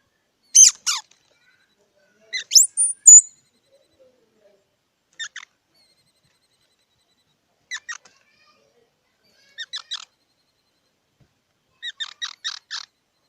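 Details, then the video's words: Squirrel uttering brief bursts of high, buzzy chirps spaced a few seconds apart, the later groups softer and in quick doubles or triples, against silence. "សំលេងដង្ហែន Squirrel 🐿️ Sound"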